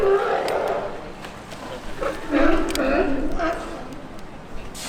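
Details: Sea lions in a large, loud colony on a floating raft in Newport, Oregon, on a windy coastal day, give hoarse, honking barks of uneven pace, with a person's voice talking over them.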